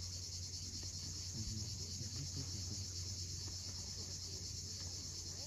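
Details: At sunset on the steep coast of Cape Fiolent, Crimea, cicadas hold a high, even, ringing drone while waves rumble low beneath.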